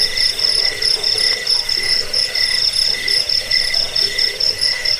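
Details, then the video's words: Crickets offered as a rat-repelling, sleep-inducing sound and for training songbirds; a dense high trill rings without pause, with rhythmic pulsed chirps above it and softer lower pulsing calls underneath. "Suara jangkik pengusir tikus pengantar tidur"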